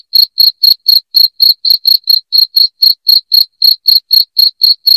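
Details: Cricket giving loud, shrill chirps for chasing away rats; short bright pulses follow one another about four times a second, clean and uninterrupted.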